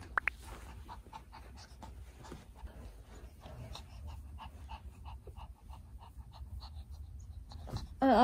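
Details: Excited Maltese circling its sleeping owner, panting rapidly in soft rhythmic breaths, about two to three per second, with faint whines; a woman speaks briefly at the end.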